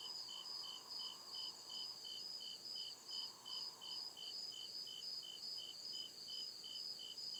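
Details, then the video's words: Crickets in deep woods after dark, even rhythmic high-pitched chirping about two and a half pulses per second layered over a continuous ringing tone, plus soft intermittent lower buzzing. "CRICKET CHIRPING SOUND"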